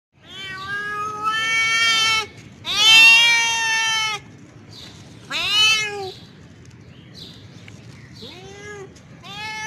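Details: Male domestic cat in heat calling a female: long, loud, rich harmonic yowls, several drawn out over a second or more, some rising then falling, separated by short pauses, with quieter wavering cries between them.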